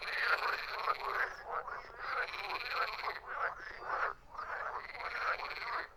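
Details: A chorus of croaking frogs, with loud ratcheting pulse trains layered over one another, rising in repeated surges about once a second and easing briefly around the four-second mark.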